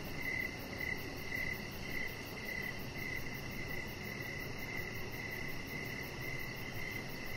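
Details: High, thin cricket chirps in the evening on a deck where a chihuahua lies, a rapid steady pulse of about two chirps a second continuing across the whole stretch with low rumbling noise.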